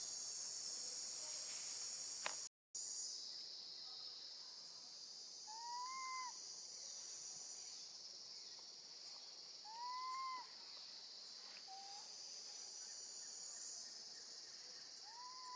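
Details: Baby monkey, left with her gentle grandmother, crying out for her absent mother; a brief cut, then three arching whistled calls and a short clipped note scattered across the stretch, over a constant insect chorus.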